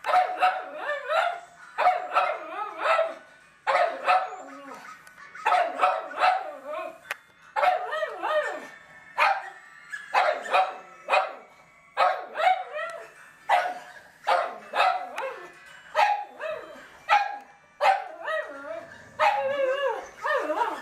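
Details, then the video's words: Pet dogs at home going crazy, barking at recorded dog sounds played on a computer; rapid bursts of overlapping barks and yelps with some whiny, rising notes come in clusters every second or two throughout, mixed with the played-back dog sounds. "Dogs Barking at Dogs Barking on Computer"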